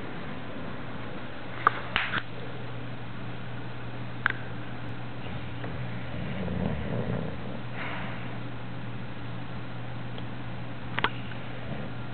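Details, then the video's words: English Bulldog Samson snoring while dreaming indoors: a soft, low rumbling breath swells once around the middle over a steady low hum, with a few sharp clicks scattered through. "English Bulldog snoring!"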